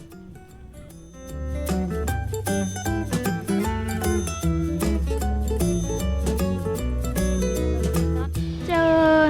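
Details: Plucked-string music with a steady bass line plays throughout, with no clear animal call heard.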